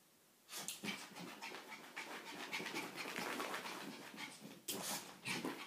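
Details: Chewy, a female pet dog, playing with her reflection indoors: steady, breathy rapid panting fills the whole stretch, with louder rushes of breath near the start and end.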